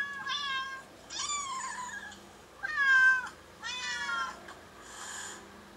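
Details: Four loud, bright meows from the cat Kkabi, each a bowed, slightly descending cry under a second long, the third strongest. A soft breathy sound follows at the end.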